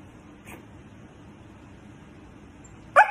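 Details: Siberian Husky reacting to being mocked: after near quiet, one short, loud, sharp bark-like yelp bursts out near the end, rich in overtones, over a faint low background hum.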